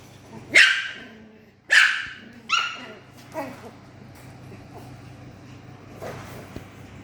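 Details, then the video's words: Poodle puppies at play time, 9 April 2026: sharp high yaps, three close together in the first half, then a softer fourth and faint later yips fading out, over a steady low hum. "puppy poodle play time"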